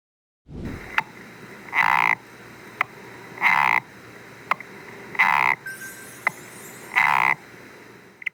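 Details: Korean golden frog. A Korean golden frog calls in short, harsh, rasping bursts, each about a third of a second, repeating roughly every two seconds. Brief clicking notes fall between the croaks, and a faint hiss appears near the end.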